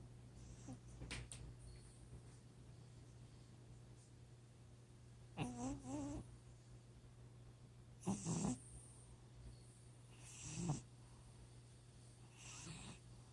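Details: Snores from a sleeping cat: several raspy, buzzy breaths a few seconds apart, some carrying a wavering tone and others short and gritty, with soft breathing between and a constant low hum behind.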